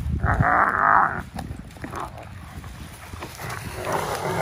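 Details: Two German Shepherd Dogs, Kennedy and K2, play tug of war with fallen dried palm fronds on an empty lot beside Tampa Bay, Florida, at a Friday sunset. A strained, harmonic growling burst opens, then softer rumbles follow under steady wind.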